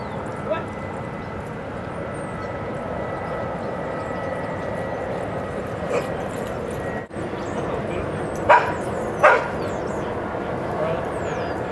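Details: Dogs at Seal Point Dog Park on the western side of San Francisco Bay, 7 December 2015. Two short, sharp barks about a second apart sound late on, over a steady outdoor hum of wind and distant noise.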